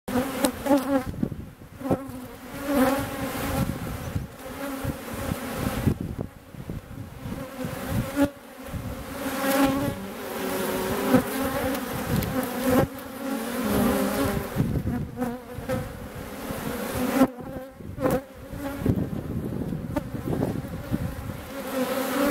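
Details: Honey bees at their hive, seen during an April hive visit in Kabylie: a dense, continuous droning buzz with a steady low hum underneath. The loudness surges and eases repeatedly, with brief quieter gaps.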